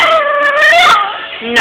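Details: Five-week-old Boxer puppy crying in its pen, wanting to come out to play while left caged: a loud, sustained, high whine that wavers and rises, then breaks into a shorter yelp at the end.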